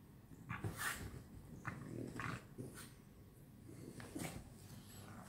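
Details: French Bulldogs play together at night, grumbling and growling in short, rough bursts with snorting breaths between. French Bulldog.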